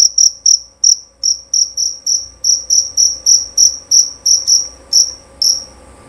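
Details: Shrill, ringing chirps from a male jerabang cricket, beginning with a few spaced notes and then settling into a fairly regular series of sharp, high pulses, loud and clean.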